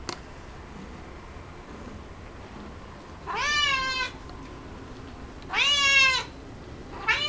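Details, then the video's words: House cat eating cat grass meows twice with drawn-out, bending, harmonic-rich calls about two seconds apart, then begins a third at the end, over a quiet indoor background. "Coco loves cat grass"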